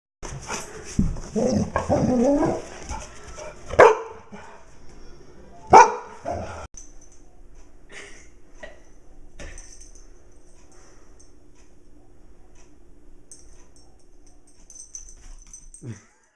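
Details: A dog gives a few sharp, separate barks at a camera and a light on the ground, then falls quiet against a faint steady hum.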